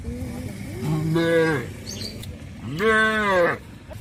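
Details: A cow lowing to its friends on the way to green pastures, released from the pen in the morning along rural roads and field ridges. Two long, rich moos, each rising and then holding steady for about a second.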